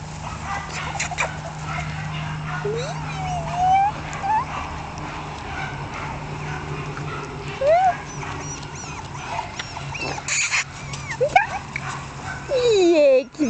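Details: One-month-old female Jack Russell Terrier puppies at a kennel, giving thin rising whines and squeaks every few seconds, with a person talking and a low hum throughout.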